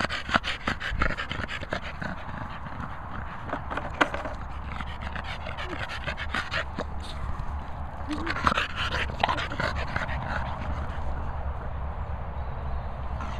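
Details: Staffordshire Bull Terriers, a pair of dogs, heard panting in a long rhythmic run of fast, breathy huffs, a loud single gasp near the start and a denser, stronger stretch of panting midway.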